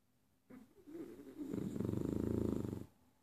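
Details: Heavy snoring from a fat beagle: one long, rattling inhalation that builds into a rapid, fluttering buzz for over a second before stopping abruptly.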